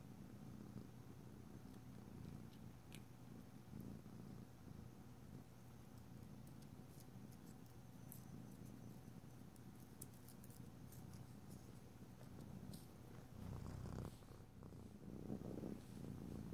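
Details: Pet cat purrs indoors while nails are filed nearby: an unbroken low rumbling purr, with light scraping and a few faint clicks, louder rustling near the end.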